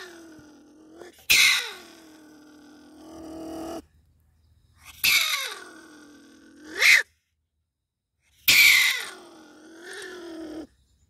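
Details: Stone marten caught in a live trap, giving three loud explosive hissing bursts a few seconds apart, each starting with a sharp noisy blast and trailing into a harsh tonal growl, with quiet gaps between.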